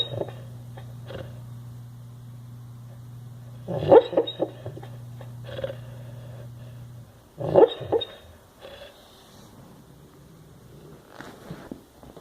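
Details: Sleeping dog snoring, with soft irregular breathy snorts that swell louder around the fourth and eighth seconds, over a steady low hum that stops partway through.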